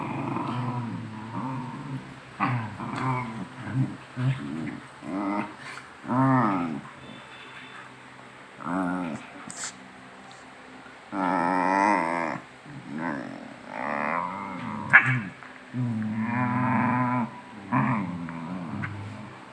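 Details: Two pet dogs teasing each other in rough play, then chasing madly. Bursts of low groaning, grumbling growls and moaning 'ngào ngào' vocalisations come one after another, some wavering and whiny, with brief human voices between them.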